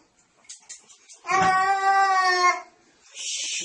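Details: Domestic cat from a funny cat compilation: a single long, drawn-out meow with a steady, even pitch lasting over a second, preceded by faint soft noises and followed by a brief hiss-like rustle indoors.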